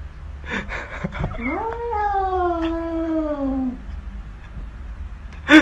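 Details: Single prolonged cat meow from a humorous pet compilation, sliding upward then easing into a slow downward wail over about two seconds, preceded by a few soft clicks and ending with a sharp bump.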